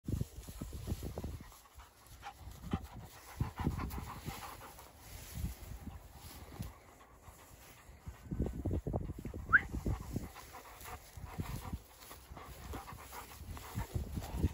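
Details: Two Dogo Argentino dogs playing outdoors, breathing in rough, breathy panting bursts that come in uneven rhythmic runs, mostly low and noisy, with a brief higher squeak near the middle and a faint steady hum behind.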